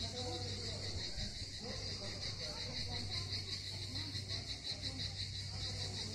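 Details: Singing cicadas on the southern Crimean coast at Miskhor harbour, Yalta, give a loud, even, high buzzing drone with a slight pulsing texture. Voices murmur and a deep hum runs beneath.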